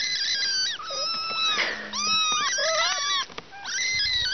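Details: Three kittens with their mother, several high, thin mews overlapping at once, some bending upward and others falling, in almost continuous chorus with brief pauses near the middle and end.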